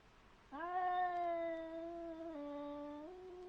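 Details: Two cats meeting in a brief encounter; one long, steady, drawn-out yowl about two and a half seconds long, dipping slightly in pitch near the end and then rising again, harmonically rich and clear against a quiet background.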